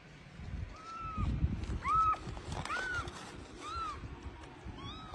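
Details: Motherless rescued kittens living in a house give high, bowed mews in a quick irregular series, about six short rising-falling cries over a few seconds, over soft background rustling.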